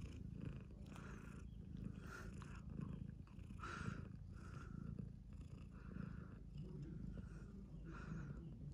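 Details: Mother cat with her kittens, calico kittens playing nearby; soft, steady low purring that swells in rhythmic pulses roughly every half second to second, quiet and close.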